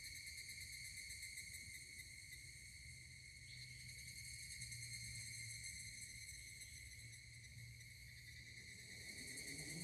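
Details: Higurashi cicada chorus at Kashima Jingu's Kanameishi, Ibaraki, Japan, 12 August 2024: continuous ringing, finely pulsed high tones without a break, over a low droning hum that briefly strengthens in the middle.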